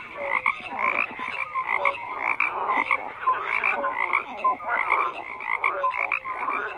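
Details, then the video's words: Croaking frogs in a lively chorus. Harsh pulsed rattles alternate with brief whistled notes and come in quick bursts less than a second apart, with nothing else audible. "FROGS CROAKING"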